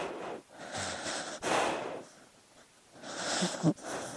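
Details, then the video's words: A sleeping dog breathing noisily: three long, airy, snorting breaths over about four seconds with quiet pauses between, the last ending in a short sharp snort. "Sleeping Dog Sounds"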